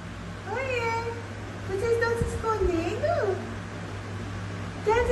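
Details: Dwarf German Spitz puppies indoors giving high, drawn-out whining cries that rise and fall in pitch, some mewing and wavering, in several bursts with quieter gaps; a low steady hum runs underneath throughout.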